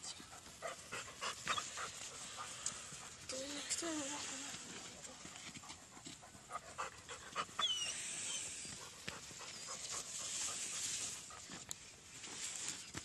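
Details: German Shepherd dog panting: rapid, breathy, noisy huffs, roughly three to four per second, rising and falling in loudness across the recording, with human speech and a few brief tonal sounds in the background.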